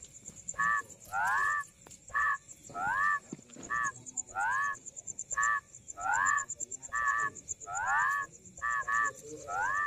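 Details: Rice field frogs calling: a chorus of short nasal croaks, many sliding upward in pitch, repeated about once a second with overlapping callers, over a constant high shrill insect-like drone.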